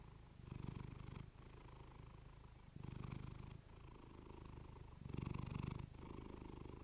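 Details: Domestic female cat purring close to a fluffy mic; deep continuous rumble rising in three louder surges about two seconds apart.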